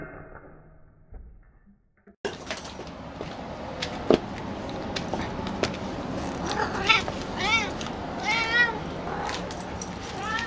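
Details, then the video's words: Female domestic cat meowing excitedly at a ball made from her own brushed-out hair during play, usually quiet with toys but very talkative with this ball; rising, chirpy meows cluster in the second half, with rustling and thumps of movement indoors. "A cat who desperately wants a balls made from cat hair"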